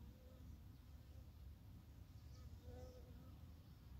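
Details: Japanese honey bees in Japan in the early morning of April 12, 2021, during plum blossom season, make a low, steady hum, with a few brief higher buzzes of passing bees.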